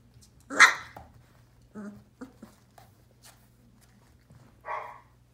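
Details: Sheepadoodle puppy one month old, born April 2020, lets out a sharp bark, then a few faint soft yips, and a second bark near the end, all over a low indoor hum.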